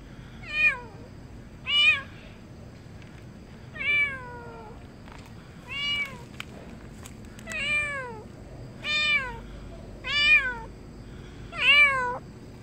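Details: Stray cat released after neutering (TNR) meows insistently: nine loud, downward-sliding harmonic cries, each dropping sharply in pitch, repeated roughly every one to one and a half seconds over a quiet background.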